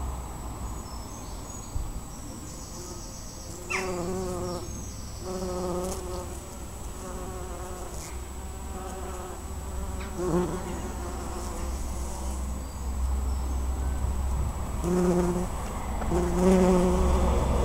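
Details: Bumblebees working a white flowering bush in Pulford in June 2015 drone past in low, humming bursts that swell and fade as they fly close.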